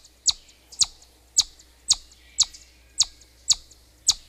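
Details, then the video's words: Shrill, brief chipmunk whistles, eight in just over four seconds, each a quick high chirp with a slight echo, evenly paced. "Бурундук свистит"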